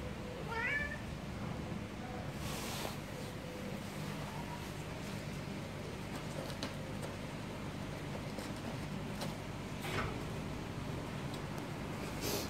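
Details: Cat giving one short rising meow near the start, with faint fainter mews after it, over a steady low hum and a few soft clicks and knocks.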